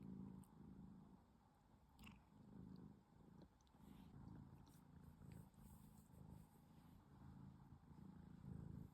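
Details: A cat sleeping comfortably indoors in the afternoon, purring with a steady low rumble that swells and fades with its breathing, continuous throughout, with faint soft clicks above.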